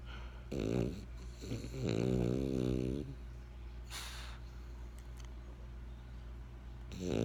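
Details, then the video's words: French Bulldog Benjamin snores in bursts: short grumbling rattles, a longer buzzy snore near two seconds, a breathy hiss, then another snore starting at the end. "French Bulldog Snoring"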